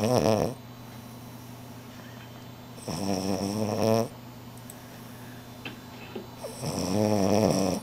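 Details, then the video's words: Sleeping French Bulldog snores through an afternoon nap, giving three loud, throaty, buzzing snores roughly every three to four seconds, with the longer ones lasting about a second, over a faint steady indoor hum. "schnarching like a human - French Bulldog"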